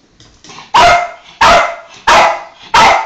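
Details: Pet Yorkshire terrier at home, excited as a family member returns from work after waiting at the window: four loud, sharp barks spaced about two-thirds of a second apart, each with a brief quieter lead-in.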